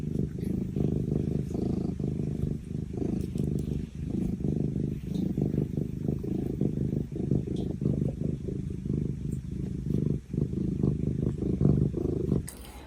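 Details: A domestic cat purrs steadily, a deep rumbling hum with a soft rhythmic pulse, a sound mainly meaning happiness and contentment, though cats also purr when badly hurt.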